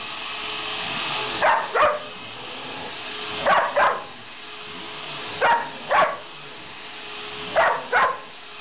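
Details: Dog named Sasha barking at a vacuum cleaner. Paired barks, two quick sharp yaps each, repeat about every two seconds, four pairs in total, over the vacuum's steady mechanical hum.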